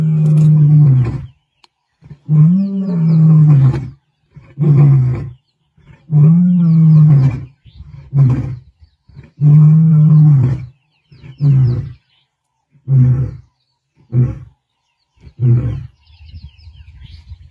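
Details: A lone Nkuhuma male lion in the Sabi Sands roars on 20 November 2023, possibly calling the Talamati boys: deep, moaning bellows fading into a string of short grunts.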